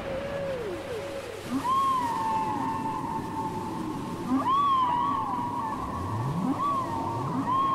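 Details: Whale song taped on cassette: a chorus of high tonal cries, each an arched swoop that settles into a held note, repeated every few seconds, with lower downward glides and rising sweeps beneath, over steady underwater hiss.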